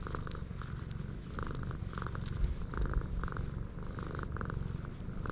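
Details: A purring stray cat on a cat island, recorded with a GoPro HERO8: a continuous deep vibrating drone with rapid regular pulses, and scattered short soft scraping sounds on top.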